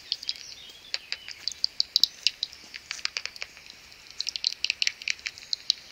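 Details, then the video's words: Near a maternity roost at dawn, about seventy common pipistrelles gather and swarm; separate crisp high pulses tick irregularly, pausing briefly, then quicken into a busier run of clicks. "70 swarming common pipistrelle bats"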